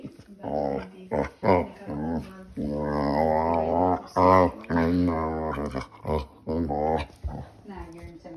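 A Vizsla makes odd, drawn-out grumbling and whining vocalizations with wavering pitch.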